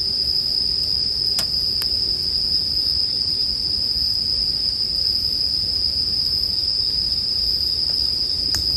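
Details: Continuous shrill ringing of bell crickets holds one high pitch without pause, mixed with bonfire sounds: two crisp wood snaps early on and a faint crackle near the end above a gentle low murmur.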